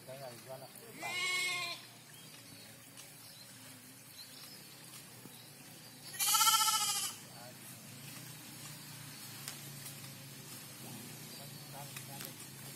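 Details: Goat that has just been bathed and looks clean, seemingly frightened, gives two short harmonic bleats about five seconds apart, each lasting under a second, with people talking nearby in between.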